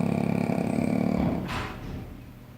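A sleeping Shih Tzu snores with a fast, rattling, low-pitched flutter and a breathy huff.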